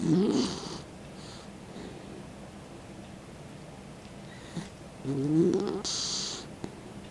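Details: Elderly 16-year-old dog named Mick dozes with his tongue out, giving two rumbling, vibrating snores several seconds apart, each trailed by a soft hissing breath, indoors.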